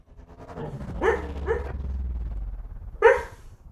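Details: Border collie dog, apparently having a nightmare in its sleep, lets out short muffled woofs and whimpering yips, three brief bursts close together then one more after a pause, with a low steady hum underneath.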